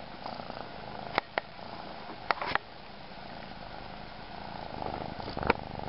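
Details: A kitten purring steadily in a soft, rumbling drone, broken by a few sharp clicks and taps.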